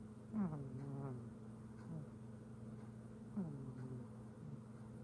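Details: Pet cat named Simba snoring while asleep: soft nasal snores with falling tones, two main breaths about three seconds apart, over a steady low electrical hum.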